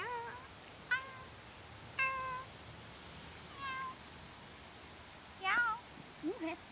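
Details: Parson Russell Terrier puppies in a kennel, summer 2011; a series of short high whining squeaks, some falling and some wavering, spaced about a second apart, over a quiet room hiss.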